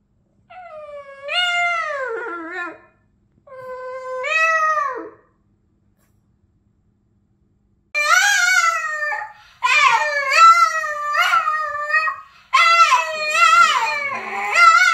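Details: A very vocal Boston Terrier "sings", howling in drawn-out, wavering, rising and falling notes with short gaps between bursts, over music.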